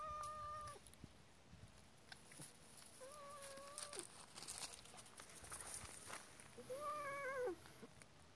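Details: Annoyed cat reacting to a puppy, with three meows: two steady, level ones and a final arched, slightly higher meow, separated by quiet gaps with faint clicks and rustling.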